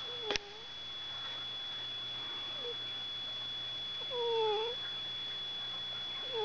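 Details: Pet cat, woken up by another animal named George, giving faint drawn-out falling meows at intervals over a steady electrical hum indoors, with a sharp knock at the start.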